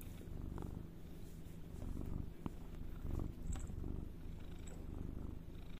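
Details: Close, low rumbling purr from a cat, uneven and breathy with soft swells, a couple of faint clicks and a small high chirp-like tick in the background.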